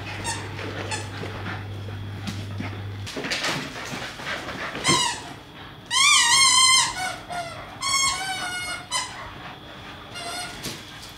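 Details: Two English Staffordshire Bull Terrier puppies during a day of play, running, tugging toys and sharing a water bowl; high, wavering whines and squeals rise and fall in bursts, preceded by a steady low hum indoors.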